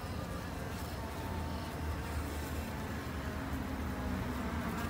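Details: Japanese honey bees kept by a two-month beginner backyard beekeeper in Japan as a conservation effort; a steady low droning hum with even harmonic bands, continuous and dense throughout.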